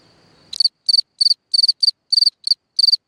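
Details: A cricket singing at night from a hole in the ground: after half a second of faint low rumble, loud high chirps begin, each a quick burst of three or four pulses, repeated about three times a second.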